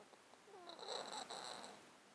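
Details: Sleeping pet cat in a box, its congested breathing caused by a disease he has had for 13 years: a brief nasal breath with squeaky, whistling, wavering tones rising through it, recorded at close range.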